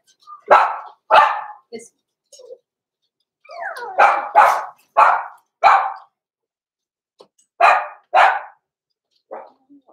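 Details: Blenheim Cavalier King Charles Spaniel puppies, six weeks old and born November 14, 2022, in an indoor puppy pen; sharp, short barks come singly and in pairs, roughly ten in all, with brief quiet gaps and a faint whine between.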